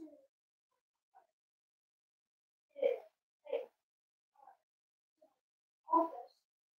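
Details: Five-week-old Cavalier King Charles Spaniel puppies from Myra and Remy's litter, indoors at Red Barn Cavaliers during weight checks; a handful of short, harmonic yips and whimpers, spaced irregularly over several seconds in a quiet room.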